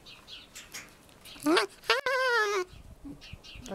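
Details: Alf, a male red fox rescued from a fur farm and kept as a pet, screams while playing with a stuffed squirrel toy: two short rising cries, then a longer wavering, harmonic-rich scream of about half a second, with a person speaking softly around it.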